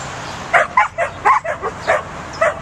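A young Pembroke Welsh Corgi gives a run of short, sharp, high-pitched barks while herding.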